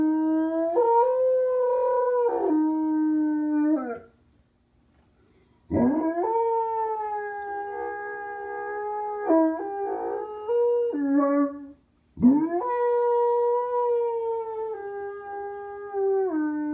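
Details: Anatolian Shepherd dog howling: long, sustained, harmonic-rich tones that slide down and waver, in three bouts separated by short silences, with no other clear sounds.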